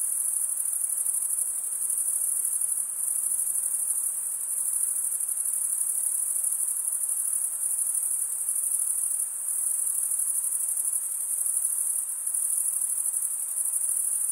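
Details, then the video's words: An unbroken chorus of chirping crickets, the wings' comb-like teeth giving a sustained, very high metallic trill with gentle dips in loudness every few seconds; nothing else is heard. "Most relaxing cricket sound"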